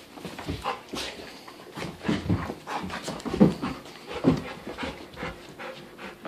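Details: A dog panting during a game of tug of war with a plush sheep toy: breathy, rasping bursts come roughly once a second, irregular in strength, with a few louder huffs near the middle.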